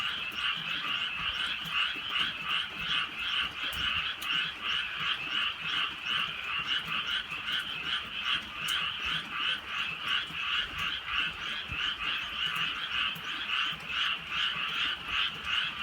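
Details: Night chorus of many frogs in rainy countryside, gentle rain falling; rapid, rhythmic croaking pulses about two to three per second, layered into an unbroken rasping wall of sound.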